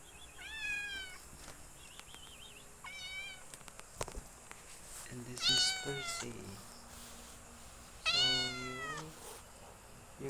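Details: Domestic cat named Percy, a pet that hunts frogs and brings one home every night; several drawn-out harmonic meows, some wavering and falling, spaced a few seconds apart, with a human voice talking and handling clicks between them.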